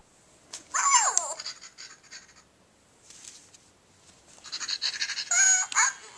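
A puppy gives a high, yelping bark that drops in pitch, then another bark amid rustling noise.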